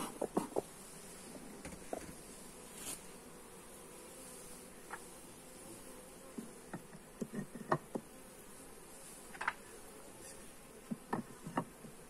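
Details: Phone recording of a honey bee colony during hive inspection: a dense, steady buzz of many bees underlies frequent sharp clicks and knocks from handling the hive.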